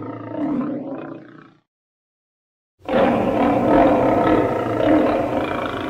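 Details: Lion in an edited sequence: a rough, rasping growl of about one and a half seconds, a cut to silence, then a sustained, loud, gravelly roar that keeps going for three seconds with a coarse, pulsing texture.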